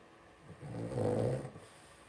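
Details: Two-week-old blenheim Cavalier King Charles Spaniel puppy, one of a litter of five in a home puppy pen, lets out a single low, moaning grunt-whine lasting about a second, rising and fading, in a quiet room.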